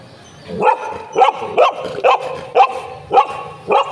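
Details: Golden Retriever, one of two pet dogs named José and Butter, meeting a new friend; barks repeated about every half second in a steady series of seven sharp yelps, with quiet background noise.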